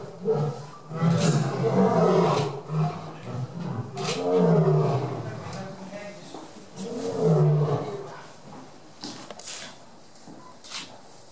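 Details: A male lion at Burgers' Zoo gives deep, throaty roars in three drawn-out swells, each rising then fading, with sharp clicks between, showing who is boss.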